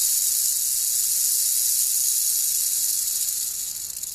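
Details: Captive female black-tailed rattlesnake (Crotalus molossus molossus), kept alone in a box for feeding, rattling loudly: a continuous, high, hissing buzz held steady for about four seconds before fading slightly.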